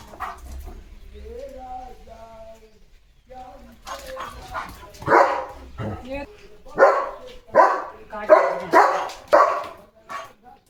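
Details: Leo, a German Shepherd, barking at cattle in India; a series of loud, deep barks about once a second in the second half, after a person's talking and a short whine at the start.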